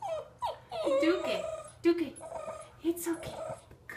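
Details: Frustrated 7½-week-old Greater Swiss Mountain Dog puppy stuck going downstairs whines in short, sliding cries, mixed with a person's encouraging voice in a small indoor room.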